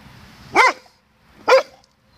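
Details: Doberman barking at its own echo at 07:18 AM on 16 May 2016: two loud, sharp single barks about one second apart, with a quiet background.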